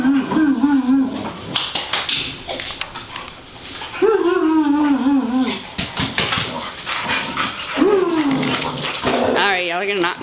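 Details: Several pet Boxer dogs at home on a Sunday, excited and wound up by rough play, give long high whining cries that rise then fall, about three drawn-out whines over ten seconds, with people talking and scuffling throughout.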